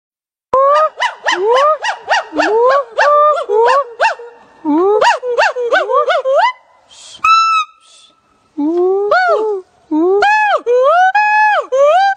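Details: Black monkey voicing a run of squeaky, bouncing chirps that rise and fall in quick repeated bursts, then a higher steady whistle-like note, followed by more looping up-and-down squeals.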